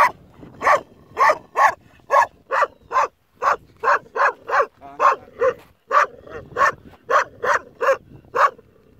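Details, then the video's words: Young Kangal puppy guarding a sheep flock on its own, barking in a steady series of sharp, loud barks, roughly one every half second, with two brief pauses; no other clear sounds. "Sürüyü tek başına koruyan yavru kangal"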